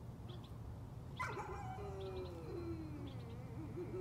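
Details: Nuisance-barking dog giving a drawn-out howl that starts high and slides gradually downward, wavering near the end, against a low steady hum.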